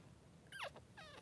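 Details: Three-day-old Blenheim Cavalier King Charles Spaniel puppy, one of two newborn boys in Pom-Pom's pen: a short, sharp squeal sliding quickly downward, then a second fainter wavering cry, over a low background hum.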